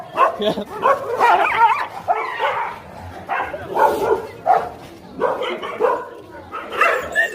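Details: Dogs fighting, a rapid series of harsh, noisy barks and snarls in bursts roughly every half second to second, overlapping and uneven in loudness, with no other clear sounds.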